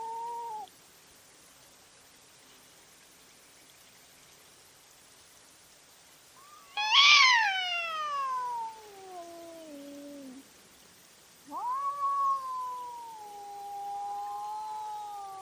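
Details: Cats in a night fight recorded by a trail camera: a brief low moan, then silence, then a sharp, loud cry sliding steeply downward into a drawn-out groan, followed by a long, level, wavering yowl.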